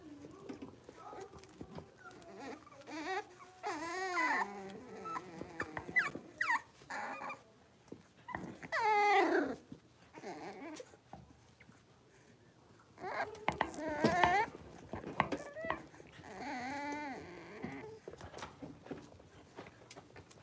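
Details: Six-week-old Cavalier King Charles Spaniel puppies, blenheim-coloured litter of five, in a home puppy pen; long wavering whines and cries rising and falling in pitch, in two main bouts with quieter gaps and faint voices.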